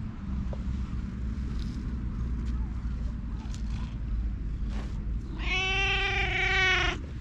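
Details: Community stray cat in a public park giving one long, loud, level meow near the end after quiet moments of faint rustling, set against a constant low background hum.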